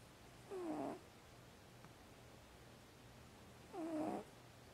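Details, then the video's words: A pet house cat, apparently asleep, makes two short, soft, wavering vocal sounds during a nap, about three seconds apart, each a low moaning tone under a second long, with a steady low hum in the room. "Snoring Cat"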